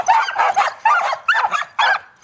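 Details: Samoyed sled team barking eagerly at the start of a winter dryland carting run, 10 degrees F with wind; rapid bursts of loud, harsh barks and yelps from several dogs in quick succession.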